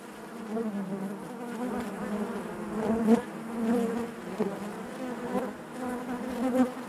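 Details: Honey bees buzzing inside their hive: a dense, steady drone centred low with stacked harmonics, swelling and easing in waves, with brief louder surges as individual bees pass close near the third second and again toward the end.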